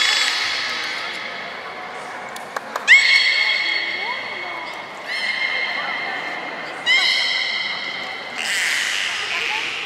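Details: Belugas Gray, Nana and Niko during a training session at Port of Nagoya Public Aquarium, Japan, on 14 October 2019. Several drawn-out, harmonic, nasal-sounding calls begin with a sharp upward chirp and hold steady, about every two seconds. Faint voices underneath.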